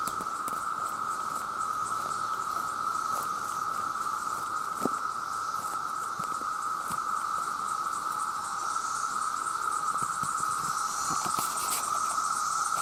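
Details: Male cicadas calling for mates make an unbroken, steady drone on one even pitch, with a faint airy hiss above it; frogs are also calling.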